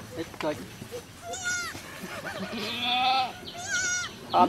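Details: Goat giving birth at a cow farm, with bleats mixed among people talking: a quavering cry near 1.5 seconds, a longer strained bleat around three seconds, and another short wavering call just before the end.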